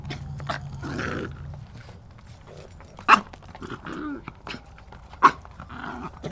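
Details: Macaroon, a little white pudgy poodle and former breeder dog, barks while playing with other dogs outdoors; two sharp, loud barks near three and five seconds, with low growling and rustling of the romping dogs between them.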